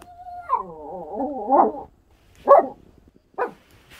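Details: Pet Schnauzers in the morning: a long wavering howl rising and falling for over a second, followed by two short sharp barks about a second apart.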